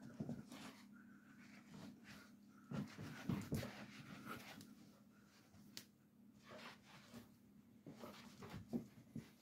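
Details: A Basset Hound, possibly a puppy, playing tug-of-war with a rope gives low, rumbling growls mixed with heavy panting and short whimpering grunts.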